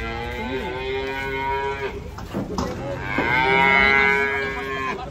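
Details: Cattle being unloaded from a truck in rainy, slippery conditions, mooing in long drawn harmonic calls, one near the start and a louder rising-then-falling moo after three seconds, with faint background music and people talking.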